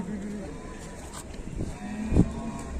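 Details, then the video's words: Sulking, angry cow, still unfed and being taken to market, gives low sustained lowing at the start and again near the end, mixed with human speech and short knocking sounds. "SAPI INI KASIAN SEPERTI NYA NGAMBEK MARAH BELUM MAKAN MALAH DI BAWA KE PASAR"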